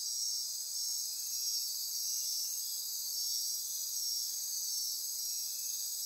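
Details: A dense midnight insect chorus in rainforest near Corcovado National Park, Osa Peninsula, Costa Rica: a steady, high, shimmering trill with no breaks.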